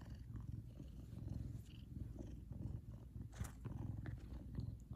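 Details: Purring from Kumba, a large male Savannah cat, when happy; the low, coarse rumble pulses continuously and evenly, with a few faint higher clicks and rustles over the top.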